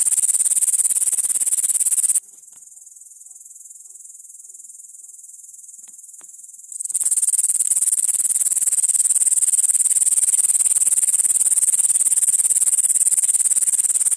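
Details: Grasshopper chirring in a shrill, sustained rasp of quick pulses. It breaks off for about four seconds, leaving only a faint high hum, then resumes strongly and runs on without pause.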